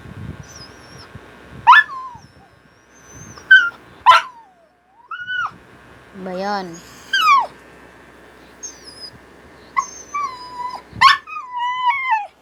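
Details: Japanese Spitz called Buchog producing a string of high whines, short yips and one quavering wail, with human speech faintly mixed in.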